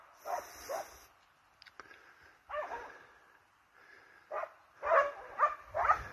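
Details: Hounds and Russo-European Laikas chasing wild boar. Scattered barks come in small bursts separated by quiet gaps, with a few clicks and knocks, and the clip ends on three louder, sharper barks.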